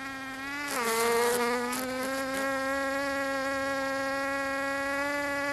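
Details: Bees filmed in Finistère, Brittany, in the far west of France: a loud, close wing buzz that jumps higher after a sharp scratchy rustle near the start, then hums on steadily with a slowly rising pitch.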